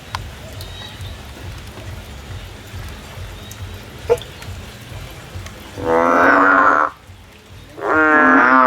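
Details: Male frog calling in the field: after a quiet stretch with faint background noise, two loud, drawn-out nasal calls, each about a second long, rich in stacked harmonics, with a short pause between them.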